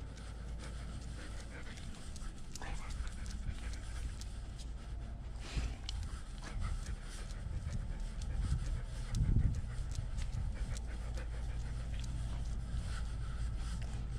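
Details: German Shepherd service dog Nala, home alone and wearing a GoPro camera, pants in soft, breathy puffs with rustling and thumps of movement against the camera, and a louder scuffle near the end.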